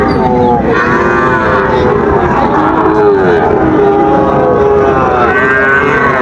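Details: At Raniganj market in Dinajpur, 15 August 2024, Sahiwal bull calves give drawn-out moos. Several animals call in overlapping, gently falling tones over dense background talk from the trading crowd.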